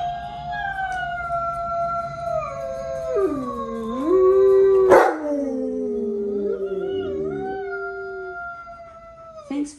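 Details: Tonka, an Alaskan Malamute, howls like a wolf when asked for his wolf, answering Alexa. Sustained, mournful, gliding howl that falls low, rises, and tapers off, broken by a loud thump midway, with a faint voice in the background.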